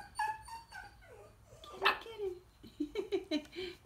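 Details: Young Coton de Tulear puppies near four weeks old playing in a pen under their mother's eye; thin whines and squeaks, a sharp yelp midway, then a run of short yips.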